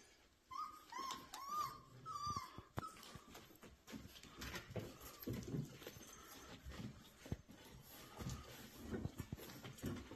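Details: Rottweiler at a kennel, whimpering indoors: several high, whiny cries bending up and down in the first three seconds, then quieter shuffling and soft noises in a small room.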